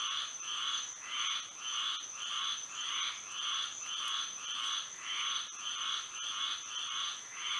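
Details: At night in Florida, with moonlight, frogs call in an even, pulsing rhythm, each burst of rasping croaks swelling and fading about every half second, a steady high whine running beneath.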